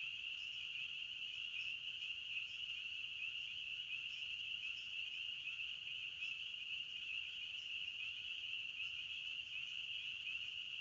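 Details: Crickets chirping in a forest: a dense, steady high-pitched trill with no pauses, with faint rhythmic pulses layered above it and no other sounds standing out.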